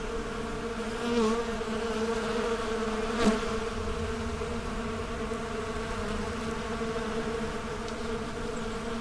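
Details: Bees buzzing together while busy at their daily routines: an unbroken, even drone of layered low hum tones, a brief louder swell near one second and a sharp click-like burst just past three seconds, otherwise steady throughout.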